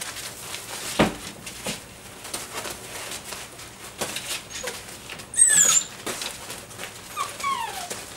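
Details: Dobermann puppies, six weeks and five days old, in a group playing with a flirt pole; a sharp high whine slides downward midway, another shorter falling whine follows near the end, over steady scuffling, patter and rustling.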